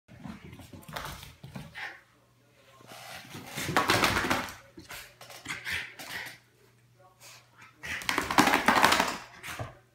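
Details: Miniature schnauzer indoors in a small room, giving bursts of harsh, noisy barks and grumbles that cluster around the fourth and ninth seconds, with quieter yaps between and a person's voice near the start.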